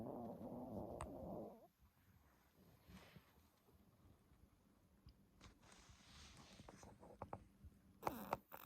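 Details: Sleeping 10-month-old Pomeranian Stella, who started snoring after a reverse-sneezing episode, gives one loud, rough snore lasting over a second, followed by quiet breathing, faint rustles and a short scraping noise near the end in a room.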